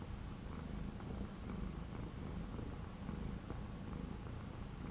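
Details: Continuous deep, throbbing purr from an orange cat staying inside during days of strong wind and cold weather, 12 January 2025; no other clear sounds.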